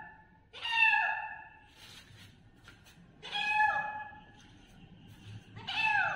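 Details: Little kitten meowing loudly, three long bright cries that fall in pitch, separated by quiet gaps of about two seconds with faint rustling between.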